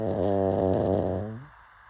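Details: Sleeping pug snoring: one long, rattling, low snore lasting over a second, then fading into quiet breathing.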